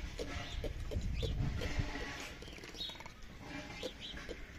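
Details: Ring-tailed lemurs at Tierpark Ströhen calling: short, bright, upward-curving cries repeat irregularly over a low rumble of background noise, with fainter lower tones beneath.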